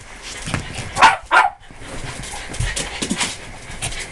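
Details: A playing Cairn Terrier gives two sharp, bright barks in quick succession, followed by quieter snuffling and scuffling movement noise.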